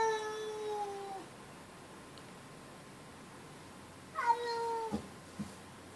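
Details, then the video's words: Riley, a pet cat, meows defensively at an outdoor cat that hangs around the neighborhood: a long, steady harmonic meow sliding slightly downward, then after a quiet pause a second shorter meow with a rising start, followed by faint soft thumps. "Riley gets defensive at another cat"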